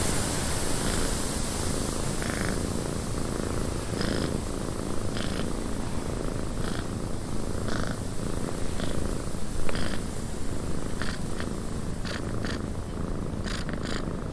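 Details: Cat giving a long, even, low purr in a windy cabin, a soft rumbling drone under steady wind hiss broken by many short, brighter gusty flickers.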